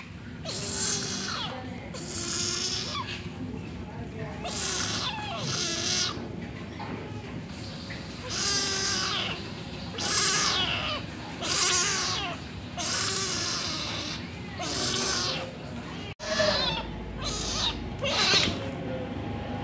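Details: Angry kitten, left alone for a while by its mother, meowing loudly: harsh, strained meows repeat roughly every second or two, each rising then falling, over a steady low hum.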